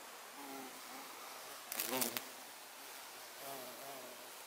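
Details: Violet carpenter bee (Xylocopa violacea) recorded outdoors on 24 September 2024: a short, loud, low droning buzz swells for about half a second mid-recording, with fainter humming passes before and after.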